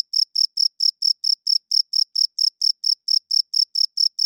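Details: A cricket chirps loudly in the night, the male rubbing its wings to court females and mark territory; crisp high pulses repeat at a steady pace of about four per second, clean with no background noise.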